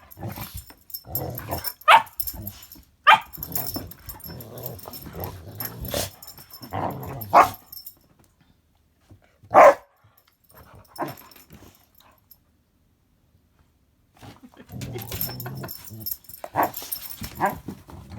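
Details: Rescue pup and a bigger dog playing together indoors on a wet, icy day; short scattered barks and yips between stretches of near silence, mixed with human voices and exclamations.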